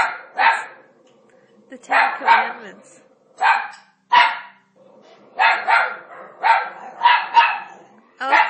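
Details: Italian Greyhound barking at Moses on television during The Ten Commandments, a habit seen before; sharp, broad barks in short clusters, about a dozen across eight seconds, with a man's voice talking quietly between them.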